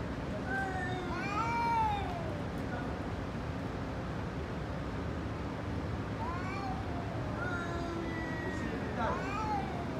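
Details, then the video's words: Angry cat in a fight, giving drawn-out wavering meows that rise and fall, one long howl near the start followed by a second burst of calls about six seconds later over steady background noise. "Angry cat fighting video 😡listen her sound"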